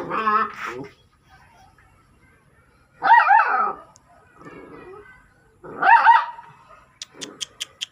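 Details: A dog gives two loud, harmonic barks about three seconds apart, with a brief yelp at the start and a run of sharp clicks near the end.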